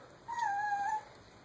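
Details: Pet dog at home, one of a household husky and beagle, described as crying. It gives a single drawn-out whine lasting under a second, steady and slightly falling at the end, against a quiet indoor background.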